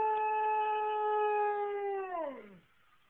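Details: A Siberian Husky howls in response to local emergency sirens, giving a long, steady howl that slides down in pitch at the end.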